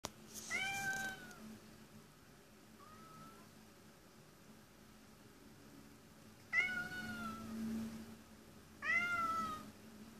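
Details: Cat crying in vain, heard as three plaintive, harmonic meows: a long wavering one at the start, a brief faint one near three seconds, then two loud drawn-out cries close together at the end, in a quiet indoor room with steady low hum.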